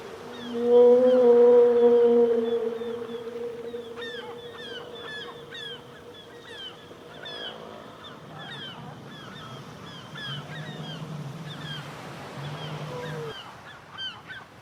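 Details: Killer whales underwater: a strong held tonal call with rich overtones fades away, followed by a scatter of quick rising and falling chirps and a low droning tone.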